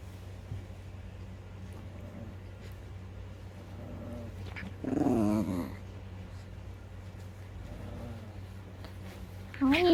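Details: Puppy that keeps biting, giving a short, rough, low growl for about a second midway, then quiet; a person speaks near the end over a steady low indoor hum.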